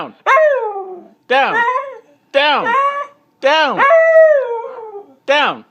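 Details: Siberian Husky refusing to get down and protesting, giving five short howling yelps, each swooping up then sliding down, roughly one per second, talkative and whiny in tone.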